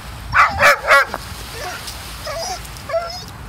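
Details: Pet dog throwing a tantrum at the beach after about forty minutes of fetch, refusing to leave when told it is time to go; three loud harmonic yelping whines, then softer wavering whimpers and faint squeals.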